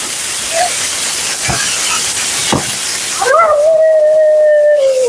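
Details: Bathed and blown out for her second groom, Mila the Siberian Husky lets out one sustained, level howl that sags at the end, after quiet moments filled with steady background hiss.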